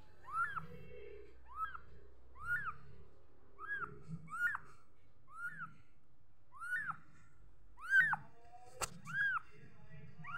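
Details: Kitten giving high, arched meows that rise then fall with a slight downward curl, repeated roughly every second, with a few louder, sharper ones near the end over a low background hum.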